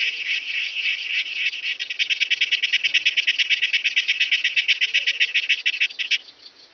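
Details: A long-horned club grasshopper (Myrmeleotettix antennatus) at Nesvady, Slovakia, on 23 July 2023 makes a loud, dry, rasping buzz of quick regular pulses, about seven a second, lasting around six seconds before fading out.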